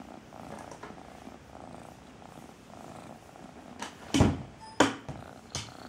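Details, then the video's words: Domestic cat purring, its loud purr jokingly called "tractor driver's song": a steady low rumbling throb in even inhale-exhale pulses, then three sharp knocking clicks near the end. "Cat purrs.120 dB "Песня тракториста""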